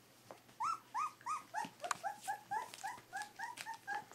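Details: Three-week-old Pyrenean Shepherd (Berger des Pyrénées) puppies squeak in a steady run of short whimpers, each rising then falling, about three per second and gradually lowering in pitch, with faint rustling behind.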